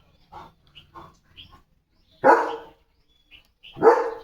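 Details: German Shepherd named Leo, a pet dog playing with a slipper at home; a few soft sounds, then two loud barks about a second and a half apart, with a woman talking.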